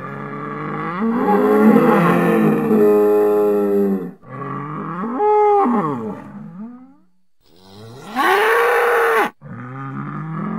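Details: Lowing of a bull outdoors: a long, rough, drawn-out bellow, then a shorter rising call, a gap, and another loud moo that fades into a softer trailing note.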